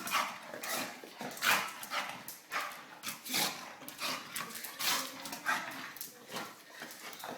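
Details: Mid-wrestle with a boy, Dozer the three-year-old English Bulldog keeps up loud, raspy, noisy snuffling and snorting bursts about every half second, with a human voice urging him on between them.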